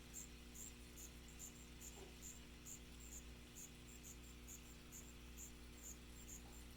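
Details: Allonemobius fasciatus, the striped ground cricket of North America, chirping in brief high bursts at an uneven pace, a little over twice a second, against a low steady hum.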